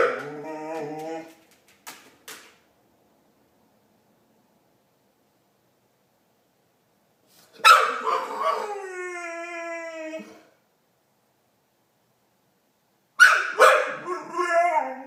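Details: Marley the pet dog making chewbacca-like funny noises: a short moan and a couple of clicks, then long pauses broken by two drawn-out, wavering, descending yowls.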